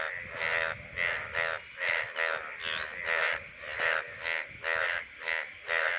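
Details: Indian bullfrog, a rain frog of the monsoon season; males call from the shallows of water bodies during the breeding season. Harsh, nasal croaks repeated about every half second in a steady series, with faint low background rumble.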